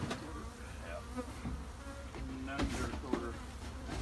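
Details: Honey bees in a bee shed: a steady, droning buzz with wavering tones that rise and fall around a low hum, broken by a few sharp knocks and clicks.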